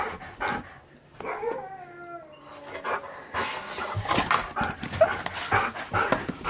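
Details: Husky at a birthday party for his best friend, said to be singing Happy Birthday: one drawn-out harmonic howl that slides slowly downward, followed by a series of noisy bursts and clatter in a small room.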